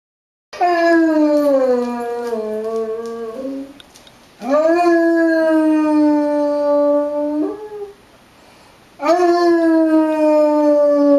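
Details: Basset hound named Winston singing along with tornado sirens indoors: three long harmonic-rich howls, each starting high and sliding slowly downward before breaking off, separated by short pauses.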